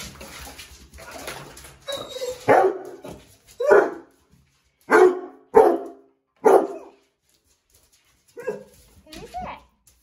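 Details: An excited Basset Hound puppy gives short, sharp yelping whines as it greets its owner, who is coming home after weeks away.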